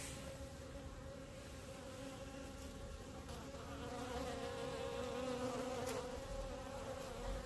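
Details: A clump of honey bees gathered on grass before their hives hums continuously, a layered droning buzz with a clear steady tone that swells slightly louder midway.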